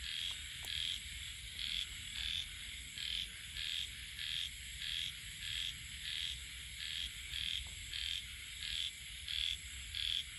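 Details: Rainy-season frog chorus: high, metallic croaks repeating about every two-thirds of a second, uneven in spacing, layered with a continuous shrill insect-like hiss and faint clicks.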